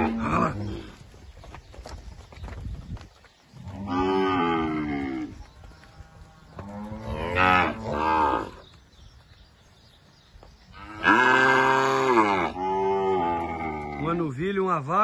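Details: Two cows mooing at a livestock auction lot: several long harmonic lowing calls, each one to two seconds, at roughly four, seven and eleven seconds, the last loud and rising, with a closing wavering moo; faint music underneath.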